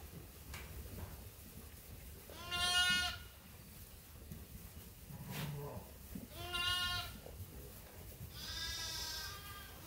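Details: Flock of sheep at Ewetopia Farms waiting to be fed, three separate wavering bleats about every three seconds, one higher and buzzier, over quiet background shuffling.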